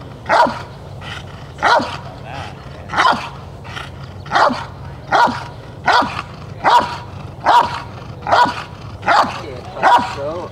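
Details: Jefe von Tonatiuh, an IGP3 Rottweiler, barks rhythmically in a trial protection routine for the 2021 DVG America National Championships: about thirteen forceful, even barks, each roughly 0.8 seconds apart, with faint ambient noise between them.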